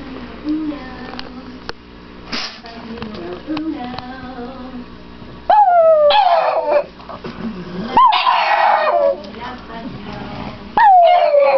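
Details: Victoria, a pet dog, howls happily to greet her owners as they come home; after quieter low whines and voices, loud falling howls start near six seconds and repeat in bursts toward the end.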